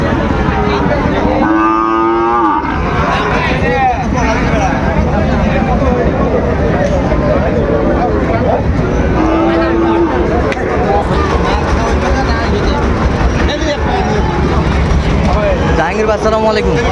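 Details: At Ambari market in Dinajpur, Bangladesh, on 12 September 2025, where Sahiwal bull calves are traded, a long lowing moo sounds in the first seconds and a shorter one near the end, amid dense crowd talk and traffic noise.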